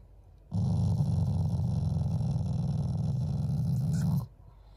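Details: Affectionate growling from a pet Shiba Inu, showing love for its family rather than anger: one steady, deep, rattling growl holds for nearly four seconds with a fast, even throb, ending sharply into silence.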